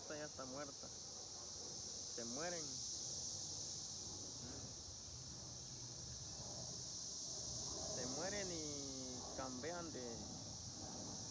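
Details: Continuous high-pitched cicada drone swells slightly in places, with voices speaking intermittently over the insects' unbroken hum.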